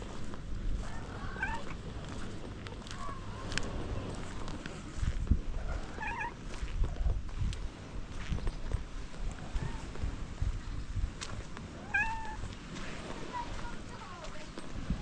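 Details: A white stray cat outdoors gives several short, high, wavering meows, around 1.5, 3, 6, 12 and 14 seconds, over steady low rumbling background noise.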